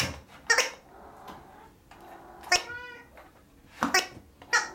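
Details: Kittens at Fantarja Cattery, the litter of Will and Ribbon, indoors: one short, thin, high-pitched kitten meow with clear stacked harmonics near the middle, set among sharp clicks, rustling and handling noises in a small room.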